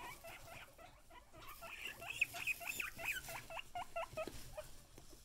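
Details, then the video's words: Several excited guinea pigs squealing together, overlapping high squeaks and whistled upward wheeks crowding into a fast, jumbled chorus that swells in the middle. "Excited Guinea Pigs"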